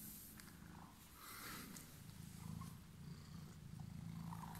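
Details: Purring domestic cat with emerald eyes, waiting at arrival: a steady, deep vibrating rumble with fast even pulses rising and falling in loudness, plus faint background rustle.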